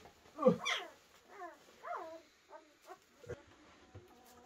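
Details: German Shepherd puppies one week old in a whelping box moved into a conservatory; a series of short high whining squeaks with falling harmonic arcs, one louder yelp at the start, then several softer whimpers.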